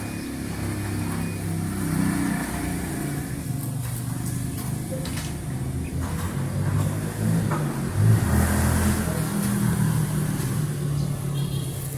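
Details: Steady rumble of vehicle engines and revving traffic with faint background voices, and no animal sound heard.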